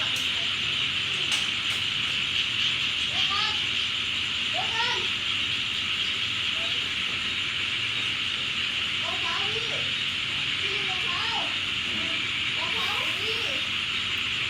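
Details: After heavy rain at a home in Thailand at night, frogs and toads croak in short, scattered bursts beneath a steady, high-pitched insect drone.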